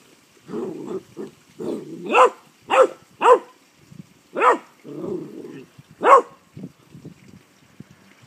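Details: Rhodesian Ridgeback puppy playing in a yard with a stray tortoise; a run of excited high barks mixed with lower grunting, growl-like sounds, irregular and bursting every second or so.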